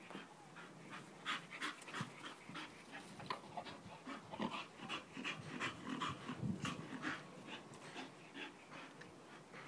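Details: Nelson the Bull Terrier pants quickly and somewhat irregularly, about two to three breaths per second, with soft snuffly and whimpery noises mixed in over a busy background.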